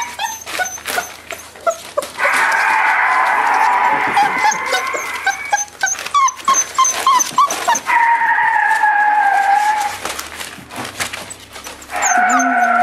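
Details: Five-week-old puppies with their mother Cleo, a litter of several pups giving steady high whines and overlapping squeaky whimpers, some drawn-out tones sliding gently downward, with short clicking knocks and rustling in between.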